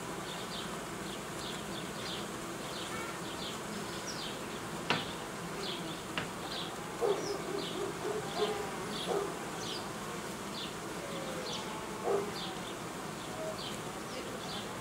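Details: Honey bees in an apiary while colonies are being united, old queens replaced and young colonies made: a steady dense hum, with a few louder buzzes sweeping past midway and short high chirps repeating through.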